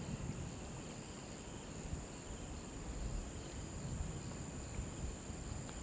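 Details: A constant thin, high cricket trill carries on beside a river, set against heavy low-pitched water rush that swells and eases gently.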